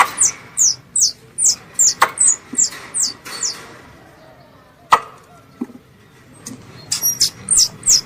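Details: Squirrel calling its mother, recorded as a pest-hunting lure: a run of high, downward-sliding chirps about twice a second, a pause broken by a couple of sharp knocks, then the chirps resume.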